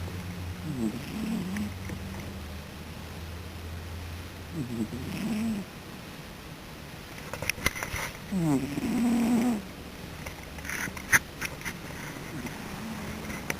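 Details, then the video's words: Dog asleep and snoring steadily. Low, rough, rattling breaths come roughly every four seconds, four in all, with soft ticking noises and a faint steady hum in the room. "Duke Snores"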